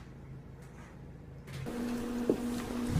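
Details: Low engine-like hum, then a louder steady droning tone with a brief knock partway through; no animal voice.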